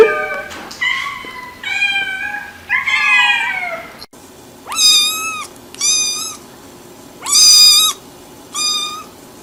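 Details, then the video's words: Cats meowing: a few lower, wavering meows, then four high, clear, level meows separated by pauses of about a second, over a low background hum. "Мысық дауысы | Meowing cats | Мяуканье кошек"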